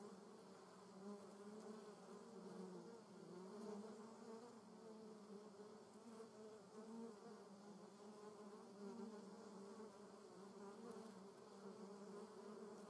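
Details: Buzzing German yellowjackets (Vespula germanica) around their nest, a sustained low hum with a fainter overtone, many wings overlapping and individual tones rising and falling as wasps fly in and out.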